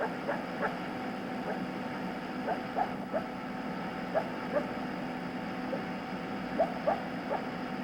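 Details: A coyote gives non-aggressive barks: short, soft, irregular barks and yips, less loud and coarse than aggressive barks, tapering off in volume, over a steady background hum.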